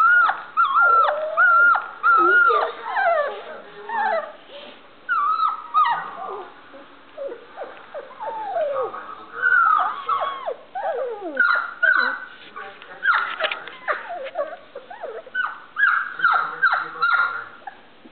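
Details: Standard Poodle puppies at play, a litter learning to bark: bursts of shrill falling yelps and drawn-out whines come in irregular clusters roughly once a second, some fading to quiet gaps.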